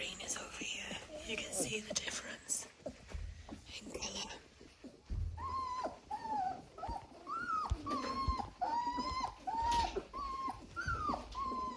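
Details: German Shorthaired Pointer puppies wearing coloured collars, indoors by a heat lamp, whimpering in a run of thin tonal whines that rise then fall, roughly one each second, after soft whispered human speech and rustling at the start.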